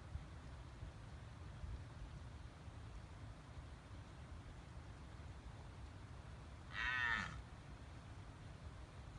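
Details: A red deer stag in the Irish highlands near Killarney, Ireland, met during a sika deer hunt, gives a single short, harsh rutting roar over a steady rush of wind.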